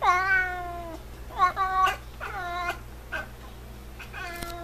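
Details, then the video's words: F6 Savannah cat at home calling loudly: a string of five clear, harmonic meows, the first long and falling, the rest shorter and quickly repeated, with a faint hum in the room. "Super cute Cat Noises"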